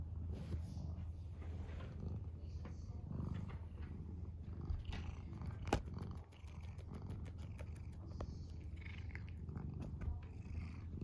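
A cat purrs steadily, a low continuous rumble with a few faint clicks over it.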